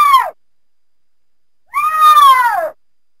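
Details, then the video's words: Mountain lion giving two clear, harmonic meow-like cries: a brief note that drops sharply, then after a silent gap a longer arching cry of about one second that slides downward at its end, with a quiet background. "Mountain lion sounds"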